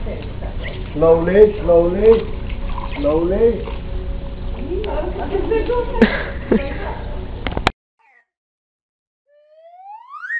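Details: Playing Boxer puppies let out a quick series of bent, whiny howls in the first few seconds, followed by scuffling sounds, a sharp click, then a brief silence and a rising swoosh.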